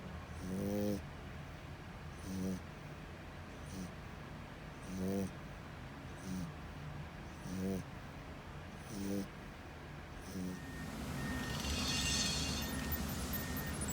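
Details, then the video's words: Loud snoring from a sleeping French Bulldog: a string of rough nasal snores at uneven gaps of one to one and a half seconds, then a burst of rustling hiss near the end. "FRENCH BULLDOG LOUD SNORING"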